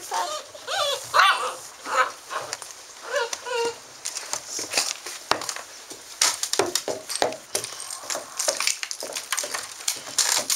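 Basset Hound puppies give high, wavering whines and yips, followed by scuffling and clicking noises.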